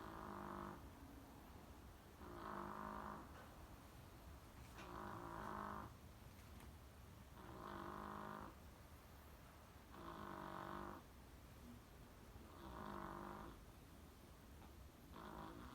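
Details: Chihuahua named Sakura sleeping soundly indoors after a rabies vaccination, snoring in even rhythmic breaths, each snore lasting about a second and recurring roughly every two and a half seconds, with a quiet steady background.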